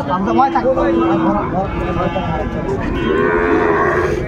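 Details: Sahiwal bull calves at a cattle market in Chattogram, Bangladesh, 13 December 2024; a drawn-out, low harmonic moo, then a second sustained moo a moment later, over steady crowd murmur and nearby talking.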